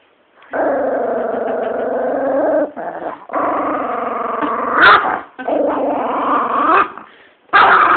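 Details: Female chihuahua named Bee guarding her bone from a person reaching for it, giving loud, long continuous growls in about four bouts separated by brief gaps, with a short yelping snap between them.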